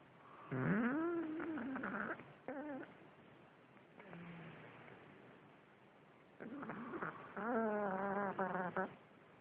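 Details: Pug named Bob snoring loudly: wheezy, whistling tones with rising and falling pitch come in two long bursts, one early and one near the end, separated by quieter breathing with a brief low hum.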